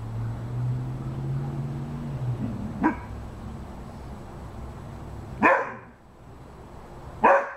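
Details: Rhodesian Ridgeback dog giving three short, harsh barks spaced a few seconds apart, the first softer and the last two loud, over a steady low droning hum that fades before the final barks.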